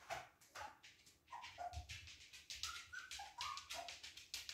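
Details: Playing Siberian Husky puppies yip again and again in short, bright, slightly rising squeaks, nearly a dozen in under five seconds, over a steady clatter of paws, scuffling and scratching.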